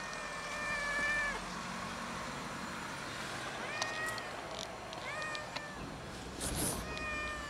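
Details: Lone fluffy cat of unusual colouring perched on a gas enclosure, meowing while it waits to be fed; four clear, harmonic meows, the first long and steady, later ones shorter and arching, with faint background rumble.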